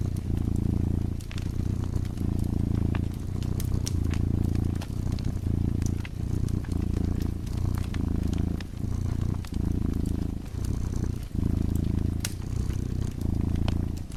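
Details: Drowsy cat's low, continuous purr by a crackling fireplace, pulsing in breath-length bursts about every second with brief gaps between, overlaid by frequent snapping and popping of burning wood.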